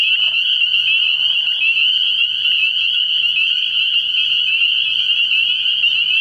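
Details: Dense chorus of spring peepers calling at night from a frog pond early in the year, forming an unbroken shrill high-pitched ringing of many overlapping peeps, with a brief lower murmur near the start.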